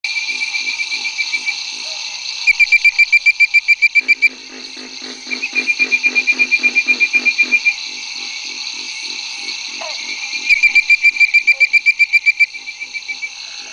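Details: A Bird-voiced Treefrog (Hyla avivoca) gives bursts of rapid, bright whistled notes at 9 pm on May 10, 2011, in Barataria-Terrebonne Estuary, over a steady night chorus with Pig Frog, Bronze Frog and Cope's Gray Treefrog calling behind.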